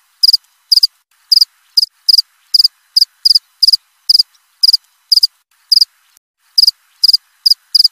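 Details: Cricket chirping steadily, krik krik: high, sharp triple-pulsed chirps repeated about twice a second, some spaced a little wider, over a quiet, silent background.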